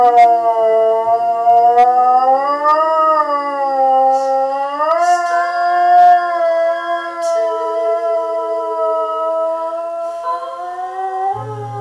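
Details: Saluki named Nubis howling along to an Eva Cassidy song: a long, sustained, wavering howl rich in harmonics, its pitch sliding upward near three and five seconds and then holding steady, with music faintly beneath.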